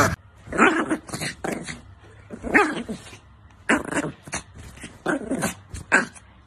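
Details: Angry Chihuahua barking in short, sharp bursts, about nine yaps spread over six seconds, some in quick doubles, with quiet gaps between.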